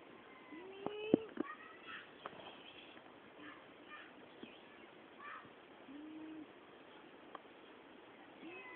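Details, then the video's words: Domestic cats crying: several drawn-out meows, one rising then level near the start and another around six seconds, with scattered clicks and soft knocks in a quiet room. "cats crying"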